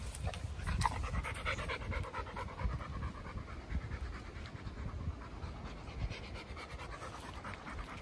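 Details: Chocolate Labrador Retriever walking in Goltho Wood, panting steadily: quick, breathy rhythmic huffs close to the microphone, with faint rustling underfoot.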